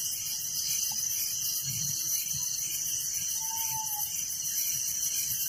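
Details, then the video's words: Village crickets chirp at night in a constant, piercing high chorus layered with pulsing trills; a short soft whistled tone rises briefly midway, above low background murmur. "Relaxing Night Crickets Sound in Village"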